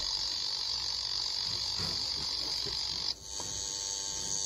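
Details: Japanese cicadas give a steady, shrill, high buzz that runs unbroken, then abruptly shifts to a slightly higher, thinner drone just after three seconds, with faint low rustling beneath.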